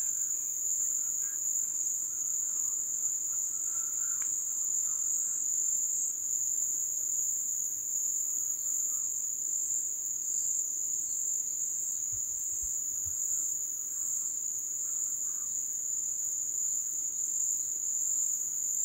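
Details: Crickets at a Brazilian wildlife-reserve base in the floodplain during the receding-water season trill in a steady, high-pitched chorus that rings on without pause.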